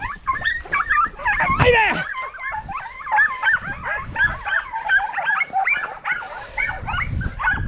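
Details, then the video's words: Podencos chasing rabbits in 2023, a pack giving dense, overlapping high yelps and barks almost without pause, one long arched bark near the start, with brush rustle beneath. "Espectacular vídeo cazando conejos con podencos a diente y con escopeta"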